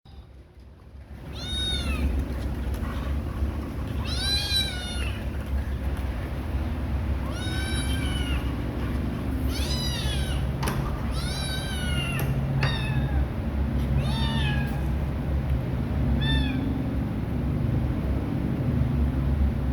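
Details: Kittens calling their mother to nurse: high, thin meows that rise then fall, about eight calls in irregular bursts over eighteen seconds, some overlapping, above a constant low rumbling background.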